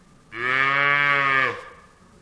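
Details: One long, even cow moo lasting over a second. The low bellow holds steady in pitch before stopping cleanly.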